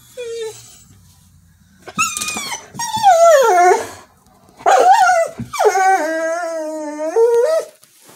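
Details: Female Border Collie singing for reasons unknown: a short whine, then loud sweeping howls falling in pitch, ending in a long steady wavering note.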